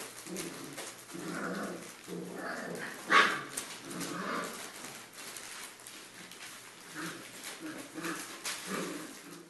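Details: Pyrenean Mastiff puppies from the Querida de la Tierra Alta litter, three and a half weeks old, indoors, giving short harmonic whines and yelps in bursts about every second, one sharper, louder cry near the middle, faint background murmur.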